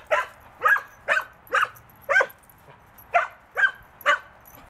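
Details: A young tri-color female Border Collie mix, six months old, at a Wisconsin rescue, barks during play. Eight short, sharp barks come about every half second in a steady series against a quiet background.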